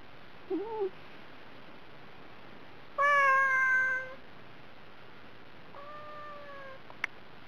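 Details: Hungry domestic cat on a diet calling for food: a brief soft chirp, then one loud, steady meow lasting about a second, followed by a quieter, fainter meow and a final sharp click.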